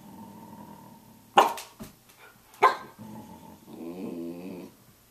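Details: At 6:00 a.m. a Samoyed gives two forceful barks about a second apart, between them soft grumbles, then a wavering, harmonic talking howl.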